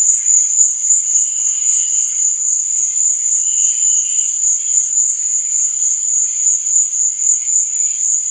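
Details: Crickets at night: one unbroken, piercing high trill, with occasional fainter, lower chirping phrases rising and fading underneath.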